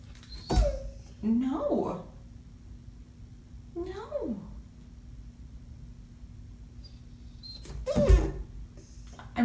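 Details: Luna, a female Rottweiler who loves water, whines and protests in the bathtub after being refused a bath, refusing to get out; drawn-out falling whimpers recur every two seconds or so over a steady hum, with a woman talking to her.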